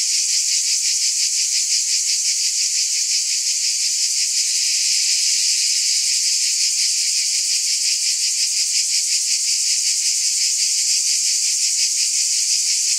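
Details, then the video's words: Cicadas filling the air with a steady, dense, high-pitched buzz, pulsing rapidly and evenly without pause; no other animals, voices or background sounds stand out. "Scintillating Cicadas"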